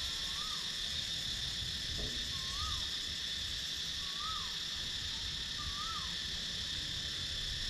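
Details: Cicadas calling in a wooded countryside area of Sakon Nakhon, Thailand, recorded on a GoPro Hero 9: a steady high, shimmering drone, with a bird's short rising-and-falling whistled note repeated about every two seconds.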